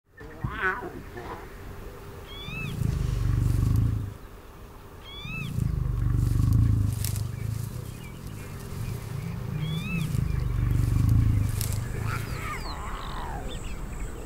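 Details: Lion cub greeting a grumpy adult female, its aunt, in a pride in Savuti, Botswana: deep rumbling growls in four long low bursts a few seconds apart, with small birds chirping high above.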